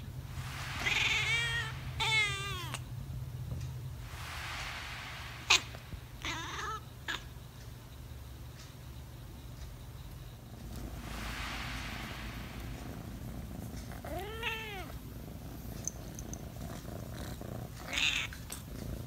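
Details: A talkative domestic cat gives a series of meows: several rising-and-falling harmonic calls early on, short bursts around the middle, and another arched meow later, with quiet indoor background between calls.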